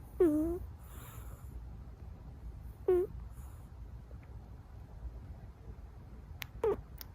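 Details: Munchkin kitten asleep, snoring in a whistling way. Three short nasal squeaks with a mid pitch come about every three seconds; the last is fainter, with small clicks near the end over quiet room noise.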